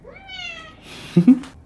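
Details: Korean shorthair cat at home in a living room, giving one short, clear, high meow that levels off and fades. It is followed by rustling, two loud thumps and faint household noise.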